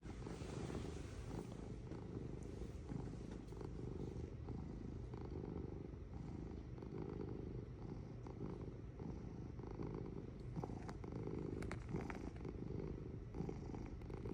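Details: Domestic cat purring steadily, a low continuous rumble with a rhythmic pulsing texture and faint breathy rises and falls; no other clear sounds.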